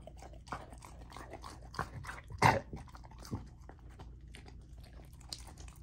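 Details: Golden Retriever puppy, a female, eating a raw dinner of chicken drumstick, thigh and sockeye salmon indoors, with irregular crunching, chewing and gnawing bursts, one loud crunch near the middle, and soft wet smacking between bites.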